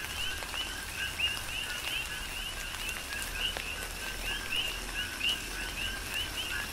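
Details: A rhythmic chorus of coqui frogs on the Big Island, Hawaii, during a tropical rain shower; clustered short upward-sweeping chirps sound over a broad rain hiss and occasional louder raindrop hits.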